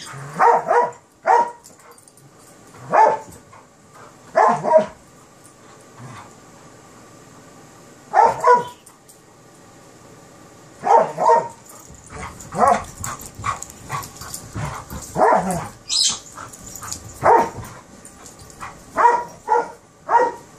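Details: Kerry Blue Terrier puppy and an Airedale Terrier at play: sharp, high play barks in short bursts of two or three, spaced a few seconds apart, then quicker yapping and scuffling toward the end.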